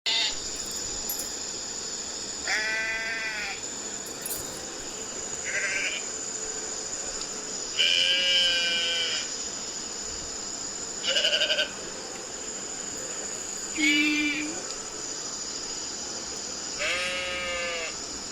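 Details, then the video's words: Sheep bleating repeatedly: about six wavering, nasal bleats over eighteen seconds, some rich and harmonic, one shorter and lower, over a steady high-pitched background hiss. "Sheep Sound Effect"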